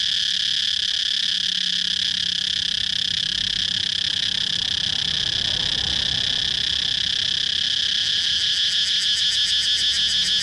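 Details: Continuous loud cicada drone in a high register, with a soft low rumble midway and quick rhythmic throbbing pulses appearing near the end.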